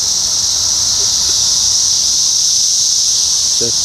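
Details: Brood X 17-year periodical cicadas massed in Ohio in June 2021, their shrill continuous hum filling the air like a constant hiss, with faint pulsing within it and a short burst of speech near the close.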